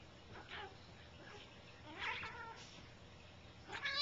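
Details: Bengal cats playing indoors, the noisy one being the big cat Gram chasing a kitten; several short harmonic meows, one near the middle and a louder one at the end, over a steady background hiss.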